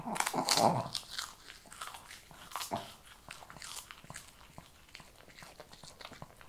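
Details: Shih Tzu eating kibble indoors: crisp crunching and biting clicks, rapid and uneven, loudest in the first second, then lighter steady chewing in a small room.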